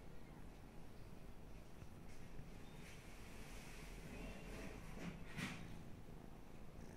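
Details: Domestic cat purring while asleep, a low steady rumble held throughout with faint breathy noise and a few soft clicks toward the end.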